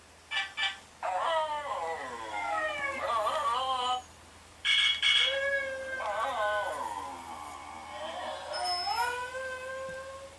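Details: Daphne, a pet Silky Terrier/Chihuahua cross, gives wavering, tonal howls with rich harmonics, rising and falling in pitch over several drawn-out phrases separated by brief pauses, plus a few short yelps at the start.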